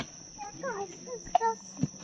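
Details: Crickets keep up a steady, high, unbroken trill in a quiet, secluded spot on the muddy Munda Pahar trek trail at Chidiya Tapu, Andaman, while a person talks over it.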